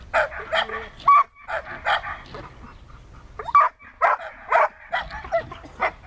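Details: Search and rescue training with Siberian Husky Dexter: a short run of excited barks and yelps, one brief whistle-like tone, with a pause in the middle before barking resumes.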